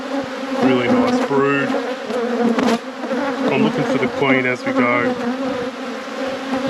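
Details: Honey bee colony hum from an apiary hive inspection; a continuous low drone runs beneath a person talking in short bursts.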